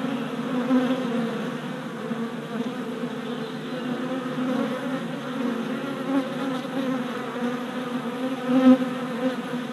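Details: Orientation flights of worker honey bees at a hive four days after installation; steady layered wingbeat drone of a crowd of bees, nearly unbroken, with a bee passing close and swelling loudly near the end.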